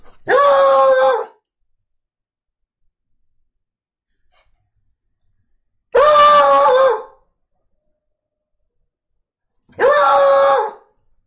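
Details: Foxhound named Shasta singing in a room, giving three long, level, harmonic bays of about a second each, spaced roughly four to five seconds apart, with quiet pauses between.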